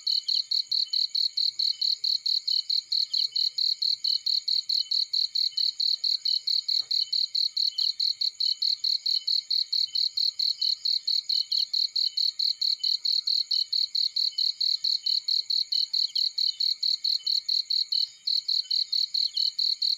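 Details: A cricket chirps steadily in a field beside a burning fire, a high, ringing pulse repeated several times a second without pause.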